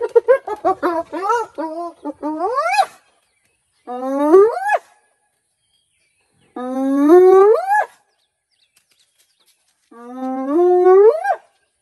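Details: Spotted hyena calling: a quick run of short rising notes flows into long whoops that sweep upward from low to high pitch, repeated about every three seconds with silent gaps.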